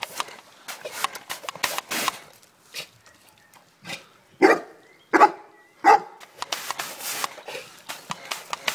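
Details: Cane Corso confronting a mini wash, giving three loud, sharp barks spaced under a second apart amid rustling, clattering and short bursts of noise.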